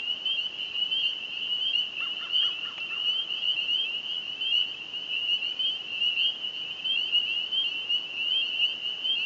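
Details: Many spring peepers calling together at dusk on May 9, 2015, small lake on the former Burwash prison farm, Ontario, Canada, a sign that spring has come: relentless high piping peeps, plus a short burst of lower pulsed notes early on.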